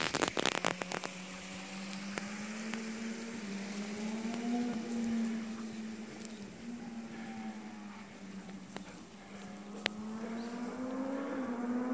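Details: A steady low engine-like hum that rises and falls, with scattered patter and clicks; no animal voice can be heard.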